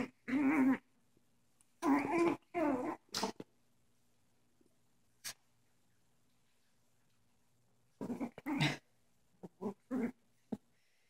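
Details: Young pet dogs playing together with dog toys; bursts of rough, throaty growling and grumbling lasting under a second each, in two clusters separated by a quiet pause, with a few short snorts and yips near the end.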